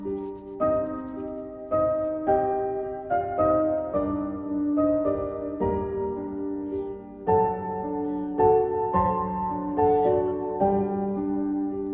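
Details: Soft piano music plays steadily throughout, with gentle chord changes and no animal sounds.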